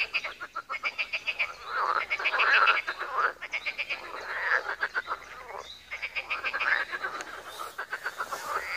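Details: Frog pond chorus in Wiry: many frogs giving quick pulsed croaks in fast series, with bursts of bubbling trills building and fading over the steady background of calling.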